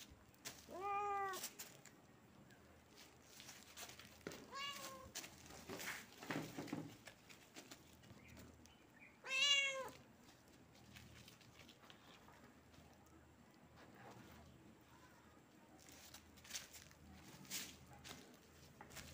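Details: Kitten meowing: a few scattered meows, a high arched cry near the start, another around four seconds and a loud sharp one near nine seconds, separated by rustling, handling noises and quiet clicks in a small room.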